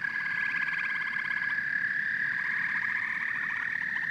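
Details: Massed frogs and toads producing overlapping bursts of quick pulsed croaks, layered on a steady high-pitched drone and faint low background noise.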